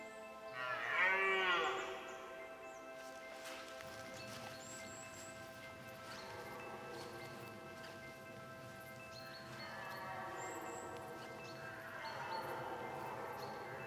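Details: A red deer stag gives a rough, drawn-out rutting roar during the 2017 rut in Poland, over a steady background of music.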